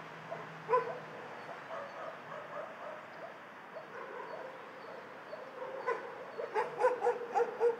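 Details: Many dogs barking in a dog shelter, a chorus of distant yaps and barks throughout, with a burst of louder, rapid barks from a nearer dog in the final two seconds.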